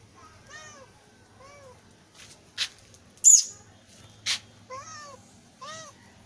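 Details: Kitten meowing, used to attract cats: four short, arched, high-pitched meows rising and falling, two early and two late, separated by sharp loud clicking bursts in between.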